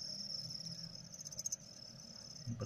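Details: A male cricket being trained to sing gives a continuous high-pitched, thin, metallic trill at one even pitch, over low rumbling and handling knocks, with a louder bump at the end.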